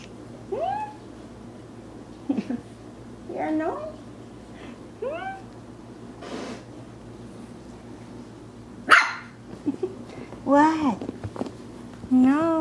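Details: A Maltese puppy wanting to play in Plainfield/Naperville, Illinois, in April 2014, gives a run of short, squeaky, rising yips every second or two. One loud, harsh bark comes near the middle, followed by quick wavering yelps, with faint voices around.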